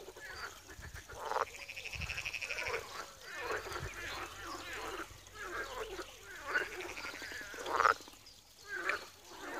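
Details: A frog pond at Wiry, Poland, full of croaking: overlapping rattling, nasal croaks rise and fall in waves, with louder bursts near the end over a continuous murmuring chorus.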